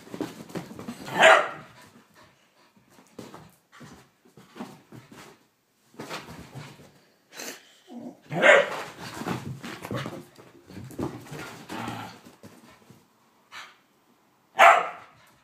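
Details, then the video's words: Blu the whippet goes crazy indoors during a mad five minutes, with loud sharp barks near the start, middle and end and a busy stream of growly, scuffling noises and faint voices between them. "Blu the whippet going crazy"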